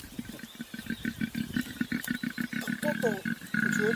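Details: A koala on Kangaroo Island, Australia, moving between trees, gives a rapid series of low, rough grunting pulses, like a deep snoring rattle; filmer says the noise is the kind males make.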